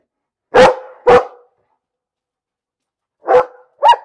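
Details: Pairs of loud dog barks separated by a long pause; the final bark rises slightly higher in pitch, with silence between.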